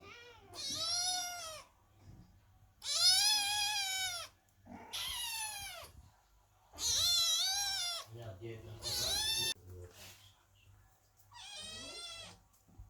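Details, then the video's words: Several kittens and cats meowing loudly at a door while their mother cat Chloe gives birth inside, waiting and worried; six drawn-out, arched, harmonic-rich meows about a second each, separated by quiet pauses, with faint low hum. "Котята громко мяукают под дверью, когда кошка Хлоя рожает"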